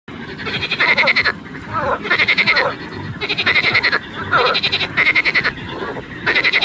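A frog gives loud, rattling croaks in pulsed bursts, each under a second, repeated in quick succession.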